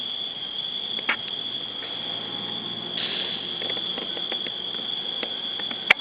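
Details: Crickets on an August evening in a village with no city hum, very loud: a continuous, high, shrill trilling drone holds steady throughout, with scattered creaks and clicks from a chair and brief human sounds.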